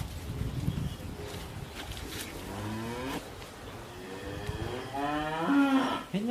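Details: Cow being bred for the second time by a bull on a farm: several short, low moos in sequence, building to a longer, louder, wavering moo near the end, over background rustling and a faint voice.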